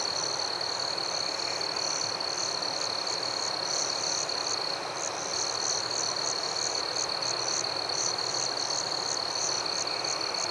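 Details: A nocturnal cricket chorus in forest: one constant piercing trill holds steady while higher, clipped chirps repeat in rhythmic runs, briefly thinning near the middle before picking up again.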